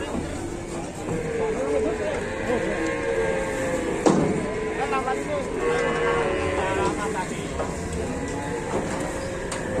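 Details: Cattle being loaded onto a truck in Indonesia, one snagging on the way up: drawn-out wavering moos rise and fall over loud background music, rumbling engine noise and voices.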